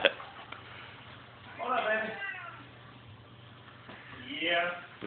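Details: Small 5 lb Siamese cat at play with a gentle 110 lb Rottweiler; two drawn-out, arching harmonic meows about two and a half seconds apart, over a low steady hum, with people speaking nearby.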